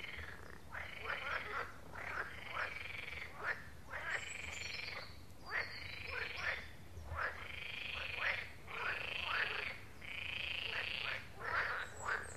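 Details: Frogs calling at a pond: a chorus of rapid rattling croaks in bursts roughly every one to one and a half seconds, steady and repetitive, with a quiet hiss of background noise.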